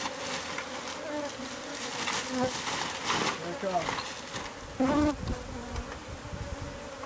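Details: Hum of bees in a hive concealed within house walls, heard as pest control removes it. A continuous drone holds steady, with short louder bursts and faint clatter near the five-second mark.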